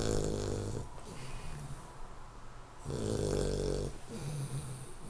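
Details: A 12-week-old male Hungarian Vizsla puppy snores while sleeping, in slow, rasping breaths, each lasting about a second with quiet pauses between.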